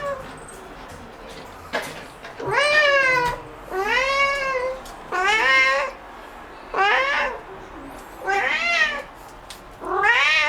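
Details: Pet cat meowing insistently after spotting an insect: six to seven loud, wavering meows in steady succession, each rising and dropping in pitch, roughly one every one and a half seconds.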